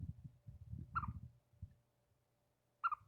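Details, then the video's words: A pet chipmunk, which runs back to its owner on hearing a bird and turns brave once in their shirt or hair, gives two sharp, bright alarm chirps almost two seconds apart over low rumbling background noise. "Chipmunk chirping at birds to alert me to the danger"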